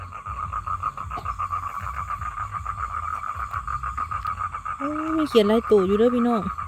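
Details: Toad males call out to draw in females for mating, giving a continuous, evenly pulsed buzzing trill at a steady mid pitch. A man's voice breaks in near the end with a few spoken syllables.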